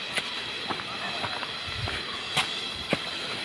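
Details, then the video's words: Cicadas along the Khoiyachara Waterfall trail in Mirsarai, Chattogram, Bangladesh, their loud, annoying sound filling the whole area and causing a headache; an unbroken high, hissing drone continues throughout, with a few sharp clicks and footstep thuds. "এলাকা জুড়ে বিরক্তিকর ঝিঝি পোকার শব্দ। এই শব্দটা কিছুটা মাথা ব্যথার কারণ হয়ে দাঁড়ালো।"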